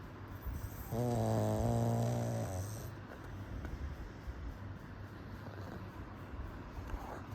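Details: Sleeping pug dog snoring: one long, droning, buzzy snore of about a second and a half, followed by softer low rumbling breaths in a quiet indoor setting.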